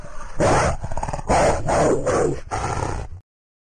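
A wolf gives a fierce, throaty growl, broken into several rough, snarling bursts about half a second long. The growls are gravelly and noisy, rising and falling in force before stopping abruptly.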